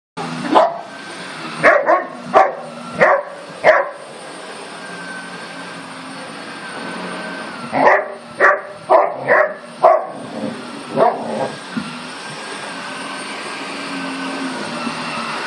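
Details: German Shepherd puppy going after a "monster"; two bursts of sharp, fairly high barks, about five in each run, over steady background hum.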